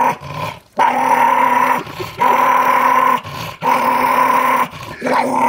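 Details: A Jack Russell Terrier defends the fresh dog food bag, keeping people from touching it: sustained low rumbling growls of about a second each, separated by short breaths, repeated four times.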